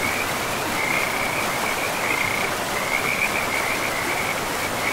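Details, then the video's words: Along a river deep in pristine forest, frogs keep up chattering, pulsed trills at an even high pitch, broken by brief gaps, set against a loud, unbroken wash of river noise. "River and Frogs sleep sounds"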